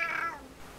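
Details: Domestic cat, one of a pair (a female Siamese and a male Tonkinese) lazing in the sun, the male picking on the female; one short falling meow, clear and harmonic, fading quickly into quiet room tone.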